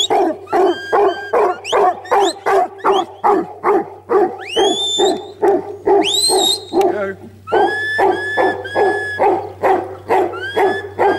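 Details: Huntaway dog barking in a steady fast series, about two deep, loud barks a second. Two long, sharp rising whistles break in midway and near the end. A low steady hum runs underneath.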